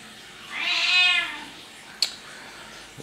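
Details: A domestic cat meows once, a long harmonic wail that rises and falls, followed by a sharp click and a faint knock in a quiet room.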